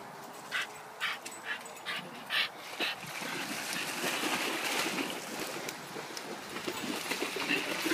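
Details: Dogs on a pack walk at Wimbledon Common, among them Staffordshire bull terrier cross Huskies and a German Shepherd cross, going swimming; about six short, sharp barks in the first three seconds, then a steady rushing noise fills the rest.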